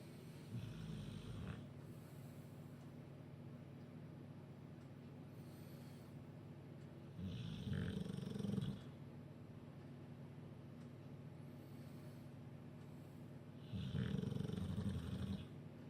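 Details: Bulldog named Duke snoozing after a chicken curry, Huddersfield: three heavy, rattling snores spaced roughly six to seven seconds apart, with faint breathing between them in a quiet room.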